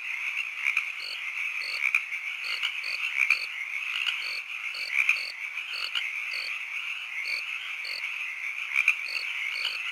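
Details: Frogs croaking with crickets at evening, a constant high buzzing chorus punctuated by brief clicking chirps and soft low pulses recurring about every half second.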